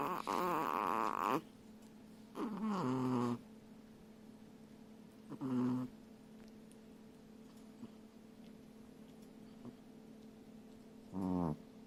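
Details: Chihuahua duo asleep and snoring: two long rattling, whistly snore breaths at the start, then shorter snorts at about five and eleven seconds, with quiet stretches and a steady low electrical hum between them.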